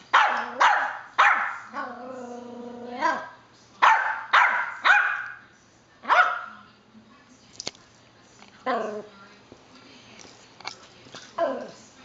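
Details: Yorkshire terrier barking for no apparent reason, sharp high yappy barks in uneven runs, about nine loud ones with a few whining drawn-out barks between, then quieter barks toward the end.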